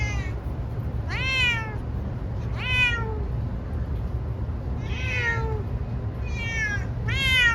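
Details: Munchkin cat being taken to the vet for a blood test, giving about five loud, drawn-out meows that slide downward in pitch, over a steady low engine-like rumble.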